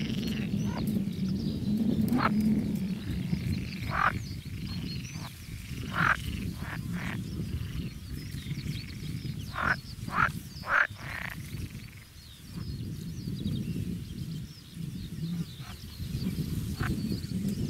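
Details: Frogs in the Biesbosch, Netherlands, in a dense outdoor chorus: a low, continuous rattling hum underneath, with louder harsh croaking bursts breaking out irregularly every second or two; faint high bird notes above.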